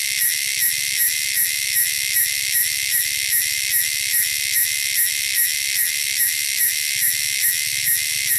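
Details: Native wilderness cicadas sound loud and shrill, a steady high sizzling buzz with a pulse a little slower than three per second, over a faint low rumble.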